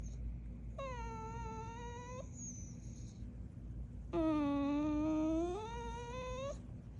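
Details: Pet dog indoors making its daily noises: two long, tonal whining moans, the first about a second and a half and slightly falling, the second lower, louder and drawn out for over two seconds, over a quiet room hum.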